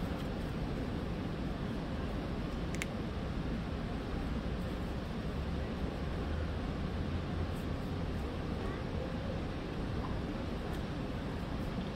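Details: Quiet outdoor background hum with distant low traffic rumble and a faint click, no animal calls audible.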